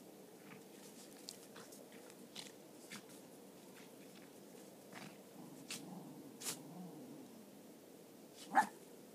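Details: Cairn Terriers, a mother and her son with occasional input from a third dog, at rough play. Scattered snaps and clicks, soft low grumbling near the end, then one sharp bark-like yelp over a steady low hum.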